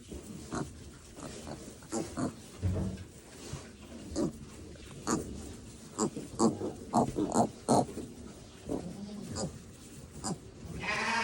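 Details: Piglets just 18 hours old on a farm make a steady stream of short, soft grunts and snuffles. The sounds are irregularly spaced, with several grunting at once.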